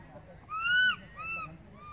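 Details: A baby monkey calls for its mother, who has gone far away, with two loud, rising-then-falling whining cries, the second fainter, against a low steady murmur.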